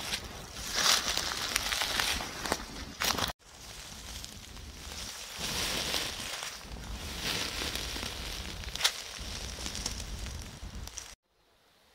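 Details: Footsteps crunching and rustling through leaves and undergrowth outdoors during a wildlife outing in the deer rutting season, with steady hiss and no animal calls.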